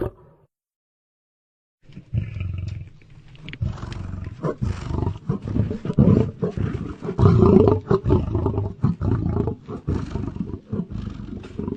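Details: Near silence gives way after two seconds to a lion's low, rough growling that builds in loudness, with ragged pulsing and a brief harsher peak late on.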